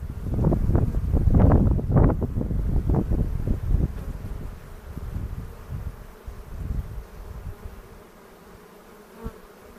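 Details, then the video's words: Hobby beekeepers' bee yard in the foothills near Cochrane, second hive inspection of 2018, making a split. A loud, rough low drone of many bees pulses for the first seconds, then fades to a faint steady hum. "Bee Hive Inspection"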